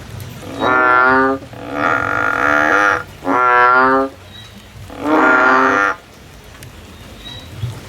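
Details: Male frog singing in a field: four long, low, droning croaks, each about a second long with a rich buzzy harmonic tone, separated by short pauses, over a faint low background hum.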